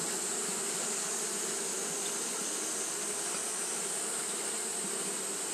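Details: Continuous buzzing of many Japanese honey bees fanning in hot weather; the low drone wavers slightly but never stops, with an even shrill hiss riding above it.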